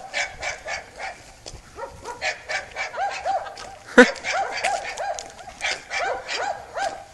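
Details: Two dogs, a Serbian defence dog and a Dogo Argentino, giving rapid, repeated high yelping barks with arched, rising-then-falling tones, about two to three per second, with one sharper louder bark midway.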